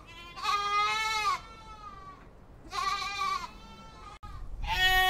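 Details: Long, vibrating goat bleats, two full calls about two seconds apart and a third starting at the end, with a short click between them.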